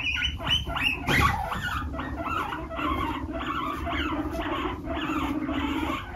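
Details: Guinea pigs, including a baby, make a steady low pulsing hum beneath repeated higher squeaky chirps while arguing over a hammock, one defending it and driving the baby out.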